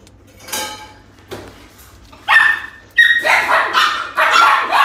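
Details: Tiny female Pomeranian-Chihuahua mix puppy wearing a blue collar, giving sharp high yips and barks, a few isolated at first, then a rapid burst of repeated barks toward the end.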